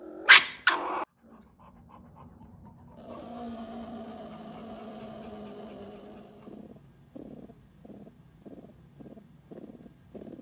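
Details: A pet sable named Buddy opens with two loud, harsh barks. A steady throaty growl follows for several seconds, then gives way to a run of short, evenly spaced pulses, a soft chuckling purr.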